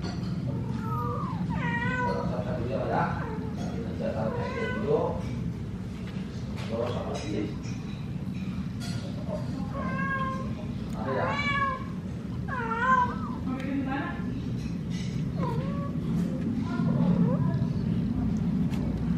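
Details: Mother cat and kitten, the kitten stuck in a cardboard box, the mother meowing to ask a human for help getting it out; about a dozen clear, wavering, rising-then-falling meows at irregular intervals over a steady low hum, with faint voices.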